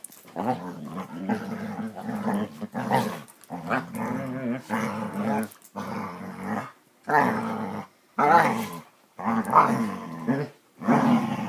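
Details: Basset Hounds playing together: rough, rumbling growls in bursts of a second or so, broken by short pauses, with occasional sharper throaty snarls, loud and close.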